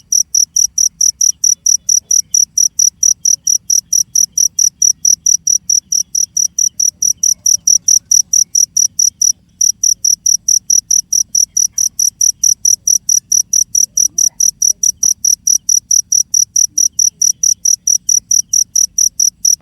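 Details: A cricket chirps on and on in a regular high-pitched pulse, sharp trilled notes spaced evenly. There is one brief gap near the middle, then the same steady rhythm resumes over a faint low background rumble.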